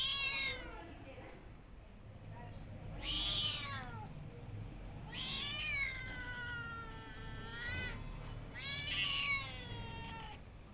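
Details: Cat meowing: a run of long, drawn-out wails, each bending up and then sliding down, some with a rough, strained edge, spaced a few seconds apart over a low background hum.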